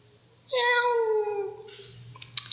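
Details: Cat at a dormitory, giving a single long meow with clear harmonics that slides slowly downward for about a second, followed by faint rustling and small clicks in a quiet room.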